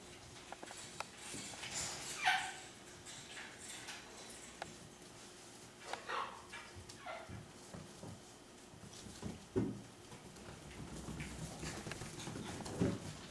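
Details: Six-week-old Miniature Schnauzer puppies playing, running and wrestling give scattered short, high yips and squeaky barks over soft scuffling.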